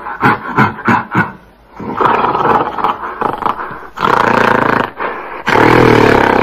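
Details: Several quick coarse barks from a gorilla lead into sustained, grating roars that grow louder and end in a strong, tonal bellow.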